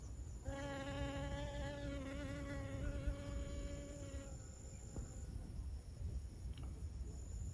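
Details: Honey bee pollinating flowers at Siosar in Karo, North Sumatra, Indonesia: a loud, steady, low-pitched buzz for about four seconds as the bee hovers close, then it drops away, leaving low background rumble and a faint high hum.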